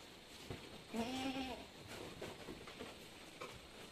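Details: Goats on a farm in San Carlos City, Negros Occidental, Philippines, during births, with seven kids born in one day, Anglo-Nubian stock. One nasal, quavering bleat lasts about half a second over steady background hiss, followed by scattered soft knocks.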